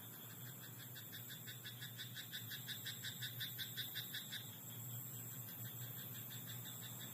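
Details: Frogs croaking at night in a Japanese rice paddy, a rapid pulsed rattling chorus repeated about three times a second for four seconds, then fading, over steady insect-like hum and a constant low drone.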